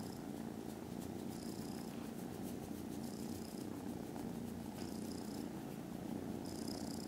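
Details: Contented foster kittens snoozing after lunch on Friday 18th December, purring very loudly: a steady low rumbling drone, with a faint hiss of breath every couple of seconds.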